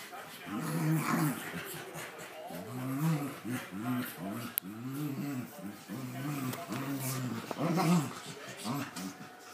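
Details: Boxer and pug puppies at play, one giving a string of low, rumbling growls in short bursts of about a second each, rising and falling, with brief gaps between them, and human voices talking in the background throughout.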